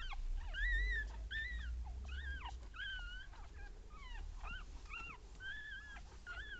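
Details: Young Papillon puppies beside their mother Tinka, a litter of one female and two males born in April 2013, give thin arched squeaks, several per second and slightly softer, over low steady room noise.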